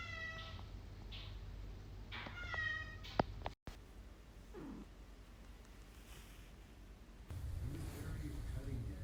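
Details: Sphynx cat. A Sphynx cat runs through a mix of short meows and chirps, several with a rising, trilled quality. After a brief gap comes a lower, drawn-out mew, then room noise and a faint murmur of voices.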